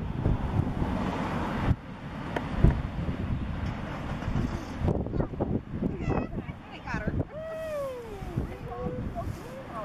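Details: A harbor seal pup on the Russian River, 4 April 2016, gives nasal, wavering calls that arch up and down after a stretch of wind and water noise.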